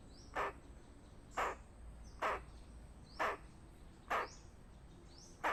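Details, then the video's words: Squirrel alarm call warning of danger, five loud rasping barks about one second apart, each brief and broad, over quiet background with faint thin rising chirps. "เสียงกระรอกร้องเตือนภัยใครเคยได้ยินบ้าง Has anyone ever heard the warning sound of a squirrel?"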